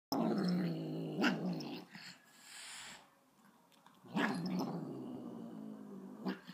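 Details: Angry dog named Luna growling indoors: two long, low rumbling bouts, one at the start lasting nearly two seconds and another beginning around four seconds, separated by a quieter gap with soft rustling.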